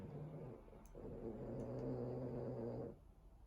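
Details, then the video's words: Boston Terrier snoring, exhausted after destroying his teddy; one long low rumbling snore with steady droning tones lasting about two and a half seconds, in a quiet room. "Exhausted and Snoring Boston Terrier after Destroying his Teddy"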